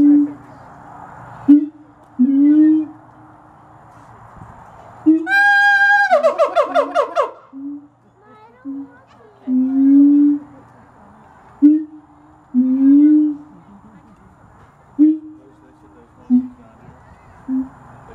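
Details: Siamangs at Gulf Breeze Zoo, including a baby, call to each other with deep, resonant booms and upward-swooping whoops every second or two, then a shrill, accelerating run of climbing barks, as visitors talk and laugh.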